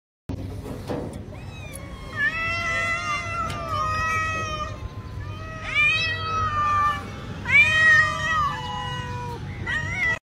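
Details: Kitten looking for food, meowing repeatedly: a series of rising-then-falling harmonic meows, several per couple of seconds, some long and wavering, over a low steady background hum.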